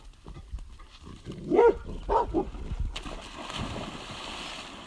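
A dog gives a few short, sharp barks, followed by a loud splash of water.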